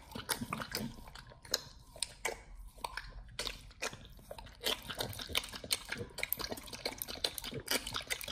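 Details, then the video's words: Nomyen the Pit Bull gnawing a whole raw Thai duck, a first-time raw meal: crackling bone crunches and wet snaps, uneven bursts with short quiet gaps, close and clear. "nomyen the Pit Bull 1st time eats Raw🦆Whole Thai Duck [ASMR] MUKBANG 動物の咀嚼音 | 犬が生の肉を食べる [咀嚼音]"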